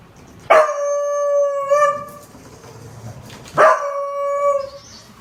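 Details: Honey, a Beagle, howls twice: each a sustained harmonic tone beginning with a sharp attack, holding steady for over a second and wavering near the end, separated by a pause of about a second.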